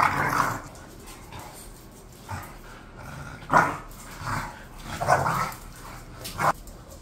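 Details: Bored pet bulldogs Khan and Ali utter throaty, growly woofs: one at the start, then spaced bursts around 3.5, 4.3, 5.1 and 6.4 seconds, over a low indoor hum.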